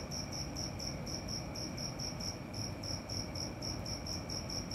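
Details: At night a cricket keeps up a quick train of bright, high chirps, roughly four each second, backed by a thin steady tone and broad low background noise.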